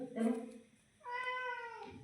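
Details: Domestic cat meowing indoors: a short low sound, then a drawn-out meow that falls in pitch over almost a second, with a Marathi-speaking man's voice nearby.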